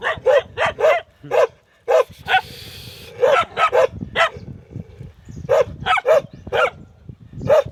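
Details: Dogs bark in quick overlapping bursts against steady low background rumble, with a brief hiss partway through and irregular spacing between barks.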